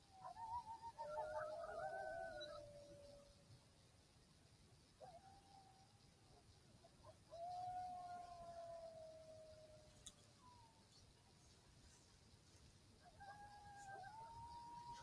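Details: Several coyotes in Southwest Wisconsin howl in reply to an electronic call, long smooth notes that waver at first and then slide gently downward; thermal recording.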